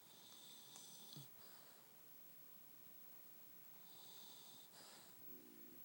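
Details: Asleep pug puppy PugZee gives two raspy, whistly snore breaths a few seconds apart, each a steady high wheezing hiss over a faint snort, in a quiet indoor setting.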